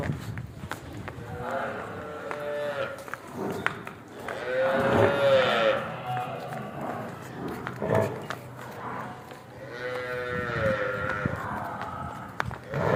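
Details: Murrah buffalo on a dairy farm in Karnal, India, in its second lactation, lowing in several long, tonal moos with rich harmonics, separated by pauses, over background voices and clattering farm noise.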